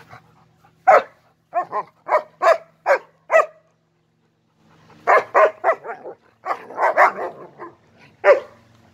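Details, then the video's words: German Shepherds barking in short, sharp bursts: five evenly spaced barks, a pause of about a second, then a denser overlapping run of barks ending in one last loud bark. "German shepherd dog са немачким овчарима"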